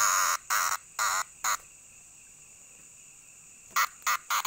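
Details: Cicada calling in loud broadband buzzing bursts, four quick pulses in the first second and a half, then a pause and another run of short bursts, over a steady high whine that holds throughout.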